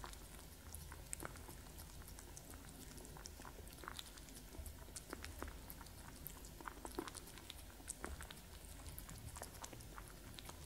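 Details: Two cats, Gordy and masterYoda, eating and drinking indoors: soft irregular clicks and crunchy chewing ticks scattered through the recording over a low steady room hum, no voices.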